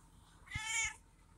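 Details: Feral male cat meowing loudly in the morning to demand breakfast because he is hungry: one clear, harmonic-rich meow of about half a second, steady then easing off, over a quiet background with faint low thumps.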